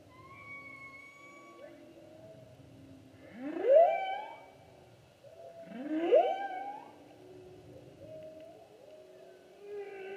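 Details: Humpback whale song from the 2016 season: two loud rising upswept moans about two seconds apart, sliding upward and ending in harmonic-rich tones, with quieter steady whistled tones and soft moans between.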